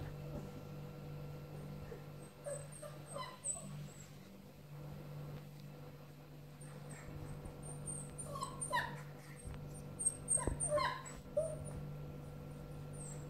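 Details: Six-week-old puppies whimpering and yipping in short high bursts, clustered between about eight and eleven seconds, over a steady low electrical hum.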